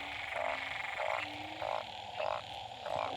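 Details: Truncate-snouted burrowing frog, a small, fat, short-necked frog, calling loudly at a pond behind a house after a night of rain; nasal croaks repeat about every 0.6 seconds, steady chorus background.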